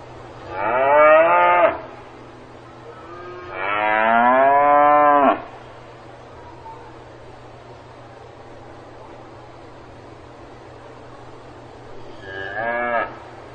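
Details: A cow on a farm gives two long, harmonic-rich moos, then a shorter, fainter one after a pause.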